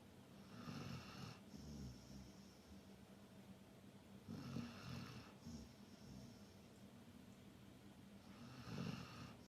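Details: Sleeping Labrador Retriever snoring, deep gravelly inhalations about every four seconds, each a low rumble with airy whistling overtones, in otherwise quiet surroundings.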